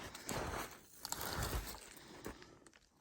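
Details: Footsteps crunching along an outdoor trail with soft rustling, and no animal voices heard.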